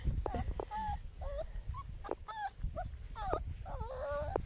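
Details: German Shepherd puppies at play, a run of high, wavering whimpers and yips in quick succession, some bending up then down, over low rumbling and scuffling noise.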